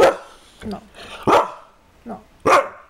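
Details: Kaiser, a domestic dog, lets out three strong barks between a person's repeated firm "no".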